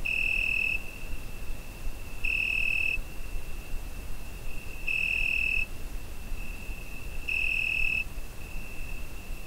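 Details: On a summer night, crickets recorded with a Zoom H5 keep up an unbroken high trill, punctuated by four louder ringing pulses under a second long, roughly every 2.5 seconds, against a gentle low hiss.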